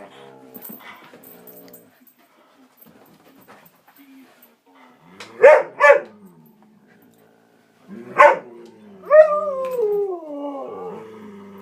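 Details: Three dogs indoors, very vocal and excited while playing just before a walk: a few soft murmurs, then two quick loud barks, a single bark, and a long wavering whine that slides downward.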